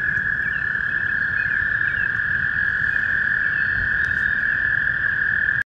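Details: Male toad calling in spring: one steady, unbroken, high-pitched trill held at an even level through nearly the whole stretch, ending abruptly, with faint chirps and a low rural background hum beneath it.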